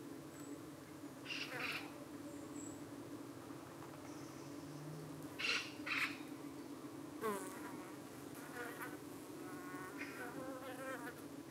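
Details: Evening at a UK beehive where honey bees fend off parasitic flies landing on their abdomens; a continuous low buzzing drone, single insects zipping close with rising and falling whines, plus scattered high chirping birds.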